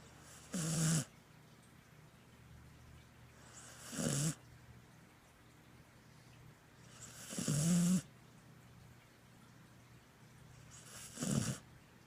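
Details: Sleeping Border Collie snoring in four long, drawn-out grunting breaths roughly every three and a half seconds, each a low rumbling rasp with airy hiss, near silence in between.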